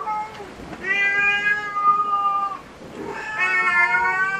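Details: Cat at a cat cafe giving two long, drawn-out meows, the first steady and level for over a second, the second rising then held, both strongly harmonic and loud indoors.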